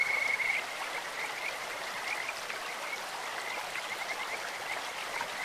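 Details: Kajika frog calling in a clear stream, a bird-like voice: a steady high trill held near one pitch, strongest in the first half-second then continuing softer, over constant broadband rushing water.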